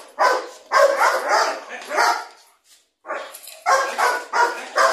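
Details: Young Belgian Malinois, eight months, in a first attack test for guard work, seizing a sandal from the handler; dense harsh barking in two runs split by a short pause, with some human voice mixed in.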